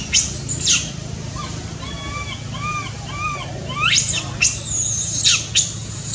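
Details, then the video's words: Baby monkey wanting its mother's care: shrill descending shrieks open and close the stretch, with softer arched tonal notes repeated three times between them over low background rumble. "baby monkey cries very loudly need take care from mom"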